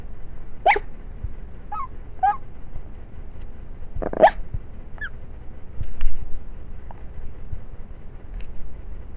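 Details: Savannah, a deaf Chihuahua, makes dreaming noises in her sleep: a few short, high, squeaky whimpers, two near the start and one stronger yelp around the middle, over a soft steady background hum.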